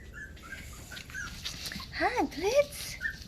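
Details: Havanese puppies in a small room, recorded 20 January 2020, giving two quick arching whines in a row midway, amid faint squeaks and a woman's soft speech.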